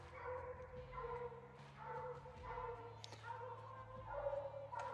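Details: Walker and Bluetick coonhounds on a hot summer night coon hunt, baying at a tree: drawn-out, mournful bawls repeated every second or so, with hunters talking quietly nearby.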